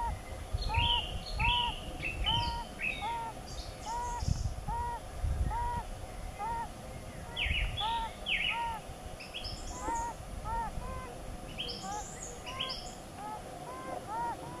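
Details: Yellow-bellied toads during their mating season give soft, hollow, mellow notes, each repeated about twice a second.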